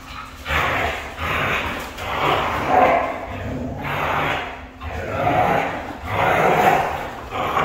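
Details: A red female Siberian husky gives long, wavering, howl-like yowls in about five separate bursts, each lasting around a second, over a constant low background hum.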